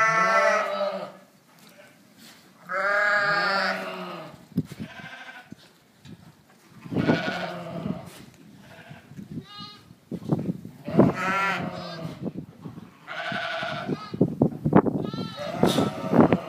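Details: Dorper and White Dorper sheep on a ranch, several long harmonic bleats with wavering pitch, some overlapping, separated by short pauses and scattered clatter.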